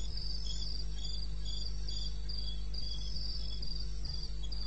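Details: Brief stretch of cricket chirping from the wilderness of eastern Botswana at night, 2:30 AM on 21 May: sharp high pulses at a quick, even pace over a low constant hum.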